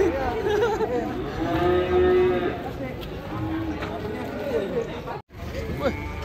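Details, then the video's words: Angry, raging cattle lowing in deep, drawn-out moos that rise and fall over several seconds, partly masked by people talking and shouting warnings nearby, with steady background noise. "SAPI NGAMUK"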